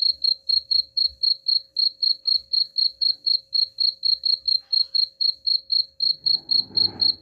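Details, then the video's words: Cricket chirps played to chase rats away: steady high pulses around four per second throughout, with a brief rustling noise joining in the last second. "suara jangkrik pengusir tikus ampuh"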